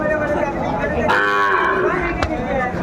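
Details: Small bull calf at a crowded Comilla cattle market, Bangladesh, 6 January 2025, giving one strong harmonic moo of about half a second, with a sharp knock and market murmur around it.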